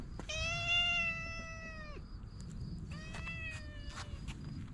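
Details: Stray cat meowing outdoors while patted on the lower back: one long, steady, tonal meow lasting nearly two seconds with rich harmonics, then a shorter, fainter meow, over low rumbling background noise and a faint high whine.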